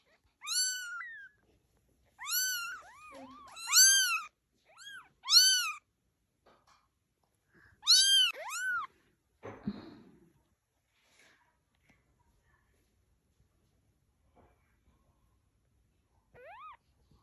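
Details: Cat or kitten meowing about eight times in quick bursts, high-pitched calls that rise and then fall, bunched in the first nine seconds, then a short rustle, near silence and a single last meow.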